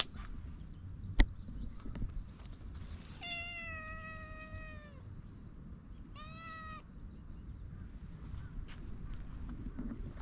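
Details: Stray cat meowing while being patted on its lower back: one long, slightly falling meow lasting almost two seconds, then a shorter second meow, over a low outdoor rumble and a steady thin high tone.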